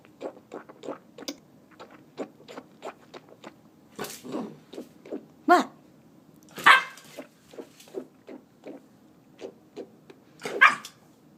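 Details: A 9-week-old male Native American Indian Dog puppy, a wolf dog, yells in short, throaty yips and grumbles, protesting a swishing noise and telling its owner to be quiet.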